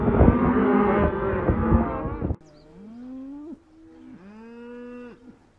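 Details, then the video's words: Loud mixed lowing of a crowd of cows gives way abruptly to one clear cow mooing twice, each call rising then held steady before breaking off. "Interesting Sounds of Familiar Animals: Cows, Lots of Cows"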